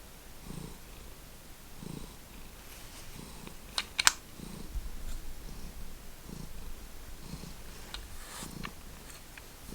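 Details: Pet cat purring softly indoors, a low pulsing rumble repeating roughly every second and a half, with a few sharp clicks and faint tapping in the background.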